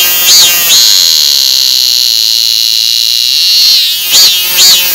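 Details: A cicada holds a loud, steady, high-pitched whine for about three seconds, framed by short pulsing throbs at the start and finish.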